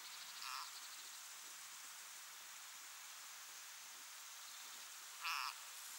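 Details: Frog struggling desperately to escape being swallowed by a grass snake of only slightly larger size; two short, harmonic cries about half a second long, spaced nearly five seconds apart, over a steady broadband hiss.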